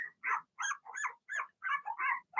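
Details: Blenheim Cavalier King Charles Spaniel puppies from Remy's first litter of six, in a home puppy pen, giving a run of short high yappy barks, about seven in quick succession with brief gaps between them.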